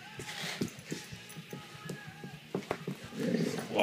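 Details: German Shorthaired Pointer indoors in an office, vocalizing back while its owner gives sit and down commands: a run of short, low, grunting pulses, then a louder rough burst at the end.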